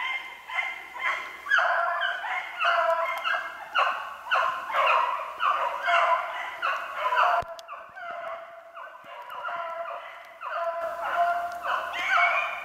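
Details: Several beagles giving tongue while hunting snowshoe hare, 8 March 2016. Dense, continuous run of overlapping yelping bays. Clearer single voices follow a brief break midway.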